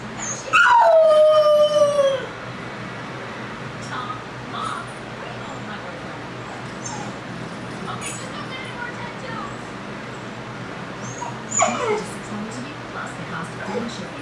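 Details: Puppy howling the first time it was ever left alone: a loud, wavering howl sliding downward near the start, then long indoor quiet with faint rustles, and a short second whine near the end.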